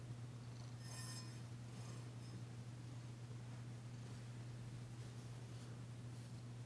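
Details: Danci, a female cat, purring while being massaged indoors, her first purr since the day she arrived. A low, steady rumbling purr runs throughout, with a faint high clink near the first second.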